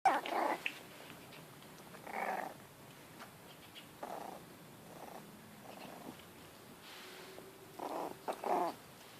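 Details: Five-week-old Jack Russell Terrier x Yorkshire Terrier mix puppies exploring a garden outdoors; short, mid-pitched whiny squeaks come in scattered bursts a second or two apart over a quiet background.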